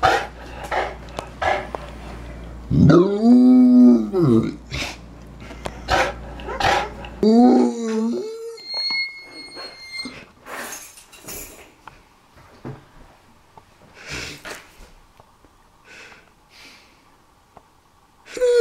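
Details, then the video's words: St. Bernard dog 'talking' with a long groaning, howl-like moan of rising and falling pitch, then a shorter moan, followed by clicks, a brief whistle-like tone and scattered knocks in quieter surroundings. "St. Bernard Dog Talking"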